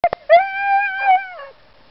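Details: Dogs Yolan and Adora during a bikejoring training run at Sowinki on 6 January 2015: two sharp yelps, then a drawn-out harmonic howl-whine that holds steady, swells briefly and fades after about a second, in a quiet setting.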